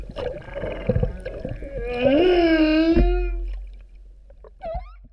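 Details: Underwater humpback whale sounds from Vava'u, Tonga, October 2017: a long, rising, wavering moan with rich overtones lasting over a second, followed by a short upswept squeal, over low water rumble.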